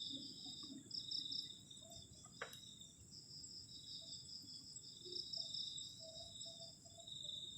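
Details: Continuous shrill cricket trilling on a cold night outside a garden shelter near the forest, two high tones held almost unbroken, with a sharp click and faint low thuds underneath.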